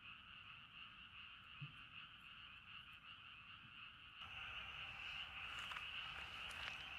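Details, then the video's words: Frogs at a riverside campsite in Sapporo, Hokkaido, Japan, calling at night in a continuous rattling chorus of pulsed croaks that grows louder and closer partway through, with a soft knock early on. "Falling Asleep to Frog Songs"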